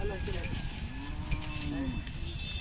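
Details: Purebred Khillar bulls offered for sale at the Athani fair, Belagavi district, April 2024; one long, steady, low moo lasting about a second over loud crowd noise and engine hum.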